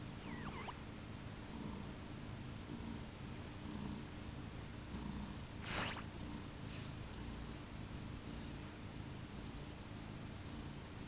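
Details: Newborn kittens of the cat Pluma, a little over 30 hours old on their second day of life, purring as a low steady rumble under broad hiss, with a brief faint squeak near the start and a soft rustle midway.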